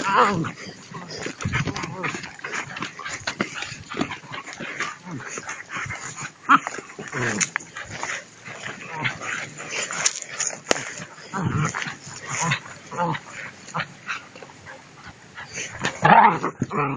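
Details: Two-month-old puppies tussle over a rag during prey drive training, giving a steady mix of rough growls, short yips and scuffling across the whole stretch, with people talking in Spanish throughout.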